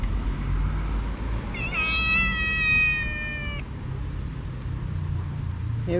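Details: Street cat among a group of roughly ten strays described as mean and fighting each other gives one long drawn-out harmonic meow lasting about two seconds, over steady low traffic rumble, with a brief rising cry at the end.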